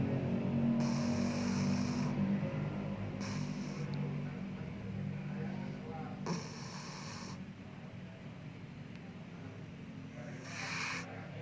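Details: A Bengal cat snores in its sleep. Hissing snore breaths recur every few seconds against a steady low background hum.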